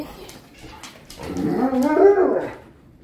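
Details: Giant male Alaskan Malamute dog after his insulin shot, awaiting a chicken treat, giving one rising then falling whining moan about a second long, preceded by soft indoor rustling.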